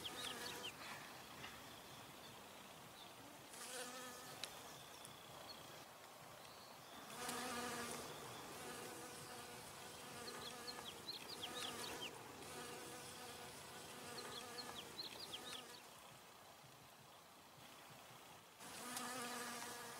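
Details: Droning buzz of honey bees working flowers for nectar, rising and fading in waves as individual bees pass near, with brief high bird twitters scattered through the background.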